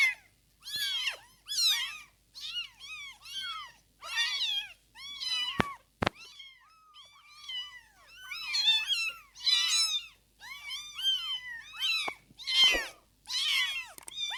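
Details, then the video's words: Kittens between day one and day fifteen after birth, at the stage of opening their eyes and learning to walk, give a near-continuous stream of thin, high mews, several overlapping, with a couple of sharp clicks. "Day 1 to 15th day after birth | Meowing & Opening Eyes | Learning Walk"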